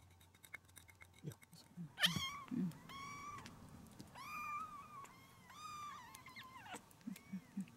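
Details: Rescued kittens about one month old, born 6 September 2020 and recorded indoors on 4 October around a vet visit, give a run of high, harmonic meows, some rising and falling, each about a second long, with soft tapping and handling noises between them.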